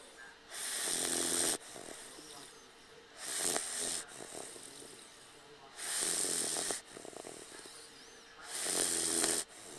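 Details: Dogue de Bordeaux puppy named Cage napping on a lap, snoring in broad, raspy breaths roughly every two and a half seconds, each snore lasting about a second with quieter wheezy gaps between.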